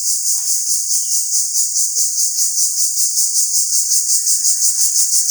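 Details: Cricket, locally called jhijhi poka, calling very loudly at a village home: a dense, shrill, high continuous trill pulsing steadily about three times a second, with a few faint scattered background sounds.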